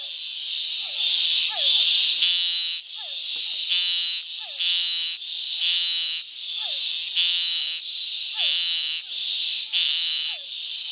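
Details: Scinax fuscomarginatus in marshland near Córrego Bezerra, Arraias municipality, Tocantins, Brazil; harsh buzzing calls about a second long repeated roughly every 1.5 seconds, over a constant insect-like buzz and short descending chirps from other frogs.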